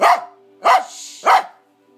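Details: Corgi; demand barking; demanding food (cheese) from its owner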